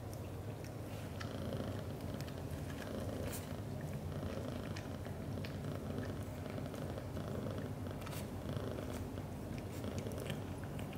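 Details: British Shorthair father cat Leo showing affection to mother cat Mimi, both black golden, indoors; loud, rich rumbling purr throbbing continuously, strongest at the start and end, with occasional soft clicks and rustling.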